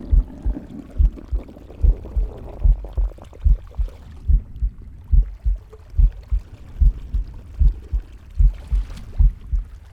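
A pig's heartbeat thumps low and steady, about seventy-two beats a minute, with faint gurgling beneath.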